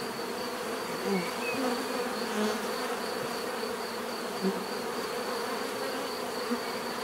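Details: Bees humming in a steady mass, punctuated by several close fly-bys whose buzz rises and falls in pitch, over a faint persistent high whine.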